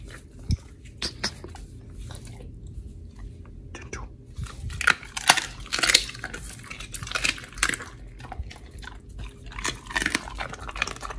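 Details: Oli, an American Pit Bull Terrier on a raw diet, eats raw fish and steak in a recording from August 4, 2023; wet crunches and biting clicks come in irregular bursts, with a few spoken words and a clink of dishes.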